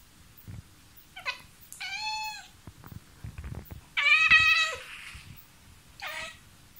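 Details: House cat talking to a mosquito indoors, giving a brief chirp, a drawn-out harmonic meow, a louder strained meow about two seconds later, and a final short meow, separated by soft rustles and taps.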